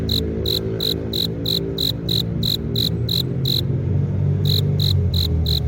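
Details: Male cricket rubbing its forewings together to attract a female: clear, evenly spaced high chirps, about three per second, with a short pause before the last few, over a steady low rumble.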